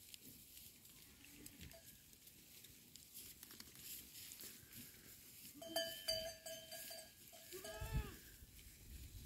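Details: Goats recorded on 20 October 2024: a steady, harmonic bleat rises near the six-second mark, followed by curved, wavering calls close to eight seconds, all set over a low rumbling background with scattered clicks.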